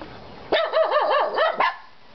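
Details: Three pet dogs vocalizing: a loud, wavering, yodel-like yelp that rises and falls rapidly for over a second, ending in a short sharp bark.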